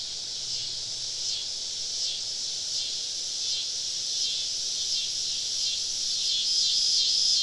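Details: Summer evening cicada chorus in southern woodland, the insects surrounding a campsite: a steady, high, sizzling buzz with faint ripples, growing slightly louder, with a thin pure tone appearing near the end.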